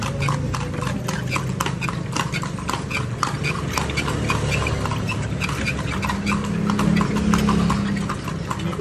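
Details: Ridden horse in Vigan, Philippines, trotting along with sharp, evenly spaced clip-clop hoof strikes about three per second, over a low rumble of traffic and faint voices in the background.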